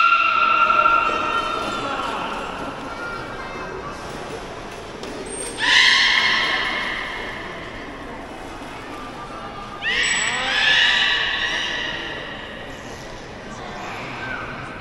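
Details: Captive beluga at Port of Nagoya Public Aquarium, Japan: drawn-out harmonic whistles, some flat and some sliding up, in bursts around 1, 5.5 and 10 seconds, fading between, over a steady hiss of water and room noise.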